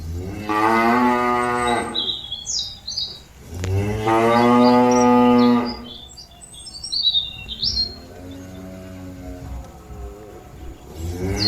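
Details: Cattle calling companions back to the pen: two loud harmonic moos, then a softer, more distant low, with birds chirping in the background.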